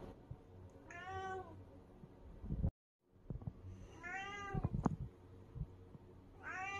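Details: Picky indoor calico cat refusing and burying a freshly opened can of snacks, giving three drawn-out, falling meows at about three-second intervals, with a brief silent break and soft scuffing sounds between calls.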